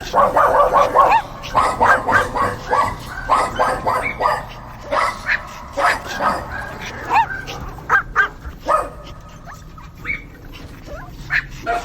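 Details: Dogs barking in rapid bursts, a quick run of sharp, mid-pitched barks in the first seconds, then scattered single yaps and higher yips, with some overlapping voices.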